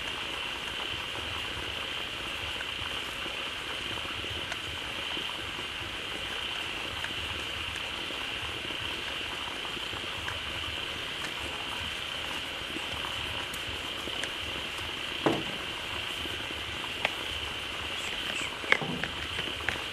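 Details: A dense frog chorus gathered at a pond newly filled by a flowing waterfall calls loudly and happily: many high voices merging into one steady, continuous trilling wall of sound.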